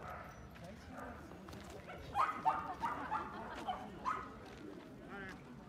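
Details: Dogs at the off-leash dog run in Yoyogi Park, Tokyo, Japan: a quick burst of sharp, uneven barks packed into the middle seconds, then a lone bark, over steady background chatter of people in the park.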